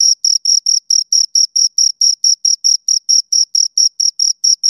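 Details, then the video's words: Cricket chirping, one of two crickets: clean high-pitched pulses repeated steadily a little over twice per second, each chirp short and even, with a fainter higher overtone, no other sounds. "Two Crickets Chirp Sounds"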